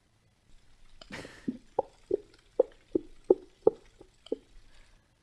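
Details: A gray whale recorded in the ocean gives a series of low, hollow knocking pulses, about one every third of a second.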